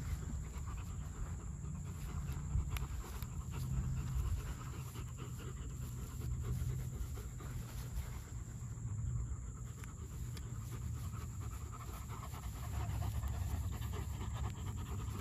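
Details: Panting from a German Shepherd: a fast train of breathy puffs running nearly continuously across fifteen seconds, set against a deep background hum, with a faint voice possibly in the mix.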